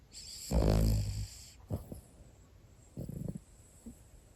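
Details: Pomeranian snoring in sleep, one of two brothers, the elder a cream sable male named Cherry born 2019; a loud rough snore with a buzzy low rattle, then softer short snorts and breathy puffs.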